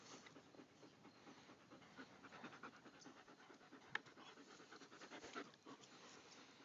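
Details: A pack of German Shepherds panting softly, quick airy breaths running on without pause, with a faint click and a few louder breaths near the end.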